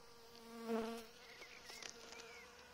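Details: Honey bees at an apiary fed coffee containing caffeine; a brief loud hum with a low steady tone and a higher overtone swells and fades within half a second, then a quieter continuous drone with faint bird chirps.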